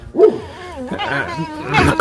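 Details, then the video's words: A pet fox being scratched by her owner utters a short, wavering, throaty whine that rises and falls over two seconds. Quiet music plays behind it. "Лиса. Весёлые утренние догонялки"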